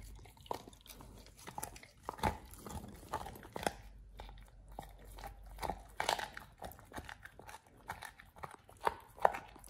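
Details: Oliang, a pit bull eating a raw ostrich paw for the first time indoors, chewing and crunching: irregular wet bites and sharp cracks of bone, with quiet pauses between bursts in a small room.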